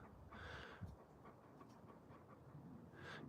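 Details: Alaskan Malamutes Moose and Raven playing outdoors: two soft, breathy panting bursts, one near the start and another at the close, with a faint low rumble underneath and quiet gaps between breaths.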